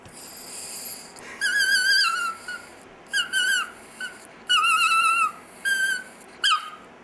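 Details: Dexter, a Chihuahua kept as a pet, "sings" with a series of high, wavering whine-howls of uneven length, separated by short pauses, ending in a sharp falling yelp.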